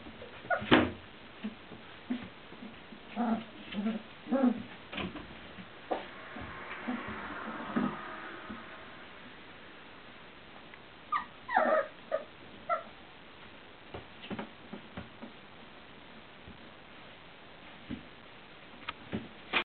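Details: Four-week-old Welsh Springer Spaniel puppies from one litter, recorded 27 December 2013, giving short whimpers and high yips in scattered bursts, busiest early on and again around the twelve-second mark, with soft rustling and quiet gaps between.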